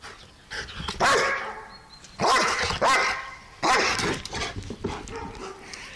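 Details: German Shepherd and Belgian Shepherd mix, a two-year-old male dog going wild indoors; three loud harsh barks about a second apart, with a German-speaking man talking between them.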